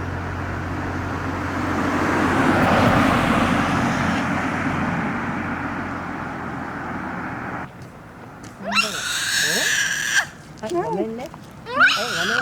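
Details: Japanese macaque calling beside a road: passing traffic rumbles through the first half, then, once it quiets, a long tonal call with rising and falling harmonics, followed by several short arched calls in quick succession.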